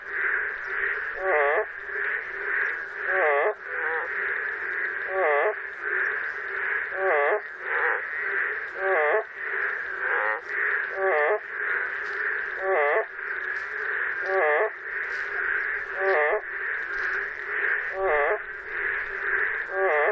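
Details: Boreal digging frog in Korea giving comic voice-cracking calls. Short, warbling, harmonic croaks repeat every one to two seconds over a continuous high droning chorus of other callers.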